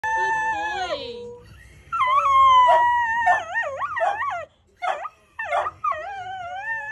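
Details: A Cocker Spaniel "sings" on prompting, howling in long, wavering tones that slide up and down, broken by short yips.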